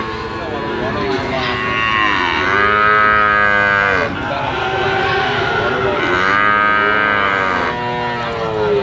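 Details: Brahman and Limousin calves calling in a pair of long, arching moos, each about two seconds, swelling and falling in pitch, with other calves faintly overlapping and steady background hum.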